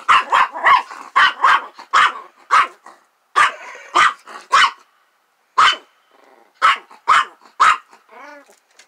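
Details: Near a trailer, a dog frightened by a playful lamb gives rapid volleys of loud, rough barks, mostly in clusters of two or three, broken by brief pauses. A wavering, higher tonal cry comes near the end.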